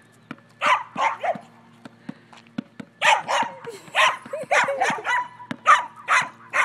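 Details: Dachshund at play with a basketball, giving a few isolated high barks followed by a fast burst of clipped, bright yaps in quick succession; light knocking noises between them.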